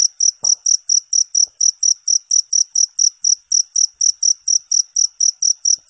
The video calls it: Suara Jangkrik 10 Jam Non Stop No Copyright